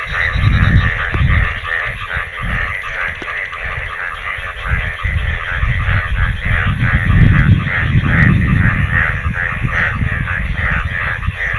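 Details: Frogs in Bangladesh calling vigorously in the rainy season once rainwater gathered, a thick chorus of quick repeated croaks and buzzy trills continuing steadily, with strong low rumbling noise and occasional clicks underneath.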